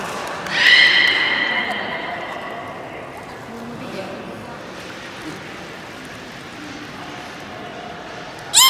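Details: Beluga at a public training session in the Port of Nagoya Public Aquarium, 24 March 2018, 16:30 show; one loud, steady, harmonic whistle lasting over a second, then a fading tail, with quiet voices and hall echo.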